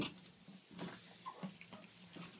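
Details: An aggressive alpha female pet meerkat leaps to attack her owner, giving short, harsh, sputtering calls with brief chirps while the owner repeatedly shouts no.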